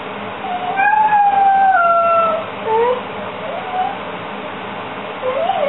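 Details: Beagle left alone, screaming about two minutes after its owner went out. A long, wavering, high howl slides gradually downward, followed by shorter rising-and-falling cries over a steady background hum.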